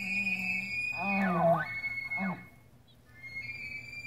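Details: A bull tule elk with a harem of 16 cows bugles in the rut, a wavering, reedy cry that bends high then slides down, outside the San Luis National Wildlife Refuge visitor center, California, 8 September 2016.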